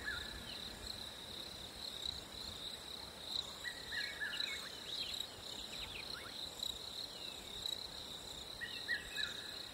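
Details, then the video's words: Crickets on a hot summer day sustain an unbroken high trill, while a bird adds short flat whistles and quick chirps over the chorus. "Crickets in a hot summer day"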